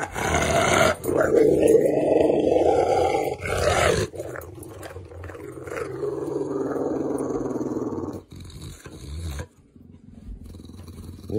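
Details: Pet dog growling loudly and roughly for several seconds, then grumbling in a long, gradually falling moan before going quiet, as a person scolds it.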